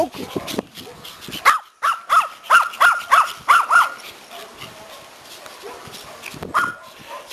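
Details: Pomeranians overjoyed to see their owner return from vacation let out a rapid run of about seven high, even yips, roughly three per second, then fall quiet apart from soft rustling.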